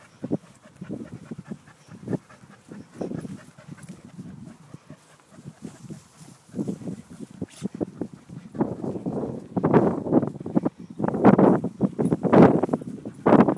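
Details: Two English Springer Spaniels, aged 4 years and 21 months, out on a morning walk; quiet huffing breaths building into louder, faster panting and a faint whimper toward the end.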